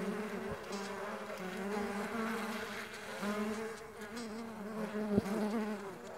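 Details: Flying Mandaçaia stingless bees make a continuous low hum of beating wings, holding an even pitch with gentle waves in loudness and a couple of sharp clicks.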